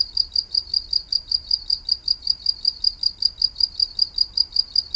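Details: Steady, high-pitched cricket chirps repeated rapidly at about four to five per second, each pulse short and even, the rhythm constant over a quiet low background.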